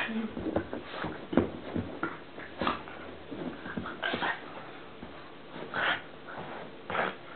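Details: Columbo, a pet pug, playing and making a strange noise: rapid bursts of snorting, huffing grunts, clustered in short runs with brief pauses between them.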